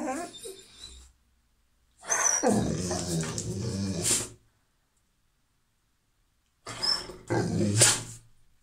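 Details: An excited female Rottweiler who loves stuffed animals gives throaty whines and grumbles, asking for her panda bear toy.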